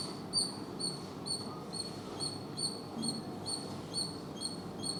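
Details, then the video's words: High, clipped squirrel chirps repeat rapidly, roughly every half second, some slightly doubled, with a soft rumbling backdrop. "Squirrel Sounds Squirrel Chatter Squirrel Noise making Sound"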